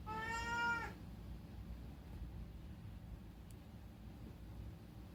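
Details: Unagi, a chatty rescued pet cat, meowing indoors at night in summer: a single clear harmonic meow under one second long, slightly rising then falling, followed by quiet room hiss.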